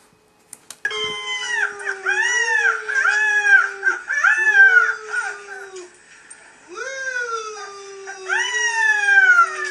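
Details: Playful Beagle puppies indoors, giving a run of short arched, high-pitched yelping howls repeated about three times a second, a pause, then longer rising-falling howls.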